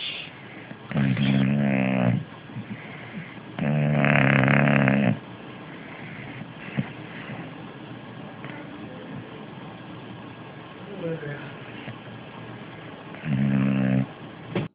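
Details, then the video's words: An English Bulldog snores on the sofa in loud, rattling, low-pitched bursts, each lasting over a second. "English Bulldog Fat Louis Snoring"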